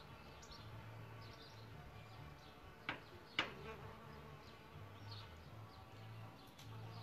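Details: Solitary bees nesting in a bug hotel, a low humming buzz swelling and fading as they move about, two sharp clicks near the three-second mark, faint chirping birds in the background.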